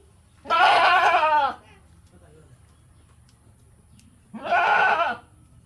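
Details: Goat. Two strong goat bleats stand out, each about a second long with a quavering, nasal tone. Low background rumble fills the quiet gap between them.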